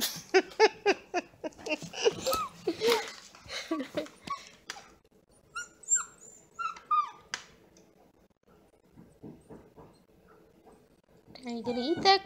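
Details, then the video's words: Vocal male Bluetick Beagle puppy: a rapid run of sharp yaps and barks for about four seconds, then a cluster of high wavering yips, a quieter stretch, and a final burst of whining barks. "Vocal Bluetick BEAGLE PUPPY"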